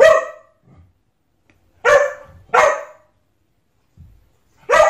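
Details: Pet dog barking at its own reflection in a mirror: four sharp, harmonic barks spaced irregularly over five seconds, with faint low thumps in between and no other voices.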